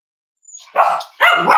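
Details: Cavalier King Charles Spaniel puppies indoors on a warm Friday morning, raised at home as emotional support animals, snuggling together; after a faint high squeak come two short harmonic barking yelps, the second louder and longer.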